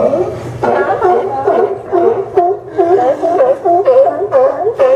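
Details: Barking sea lions at the Newport Sea Lion Docks, Oregon, September 20, 2015. Hoarse barks, each with a quick rise and fall in pitch, come in a rhythmic run about twice a second, with other animals calling underneath.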